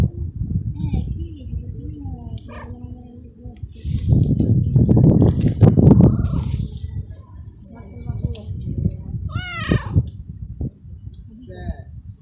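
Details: Small male stray kitten in a city garden, abandoned too early and wanting petting, gives several high arching meows, loudest near ten seconds, amid low rumbling and a person talking.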